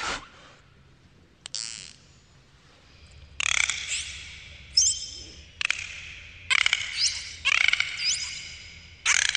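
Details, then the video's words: Underwater dolphin sounds: a short rising whistle, then a quiet stretch, followed by repeated buzzy burst-pulse calls laced with squeaky whistles and rapid clicks, over a low background hum. "dolphins underwater sounds"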